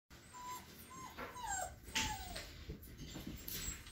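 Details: Five-week-old standard poodle puppies whimpering indoors, with thin high whines that slide downward, heard several times over a steady background hiss and rustling.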